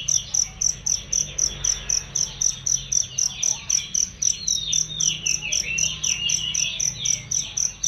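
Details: Cricket chirping as a training track for songbirds, loud and clear: a steady high-pitched pulse about four times a second, over a busy mix of bird twitters and sweeping whistles.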